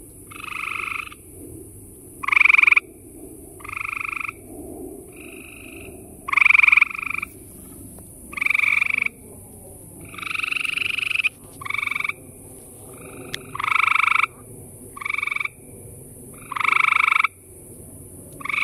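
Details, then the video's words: A chorus of gray tree frogs surrounding the recordist, several males giving short, pulsed, musical trills about half a second to a second long, overlapping and alternating in quick succession against a soft background hum. "Surrounded by gray tree frogs calling!!"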